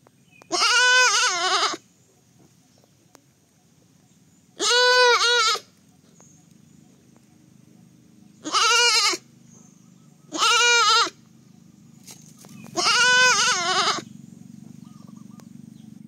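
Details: Baby goat giving five loud, wavering bleats, each about a second long, spaced irregularly with quiet gaps and a low background hum between calls.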